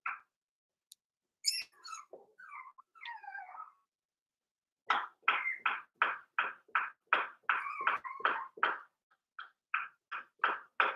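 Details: Five-week-old Cavalier King Charles Spaniel puppies from Daisy's litter in their indoor puppy pen, nearly weaned. A few squeaky whines come first, then a quick run of sharp yelping yips, about three per second and fairly steady, with short gaps.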